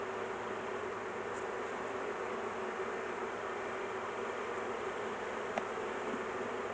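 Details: Honey bees at a large hive during beekeeping work, the queen caged to avoid crushing her; a dense, steady, low droning hum fills the recording, with a couple of faint sharp ticks.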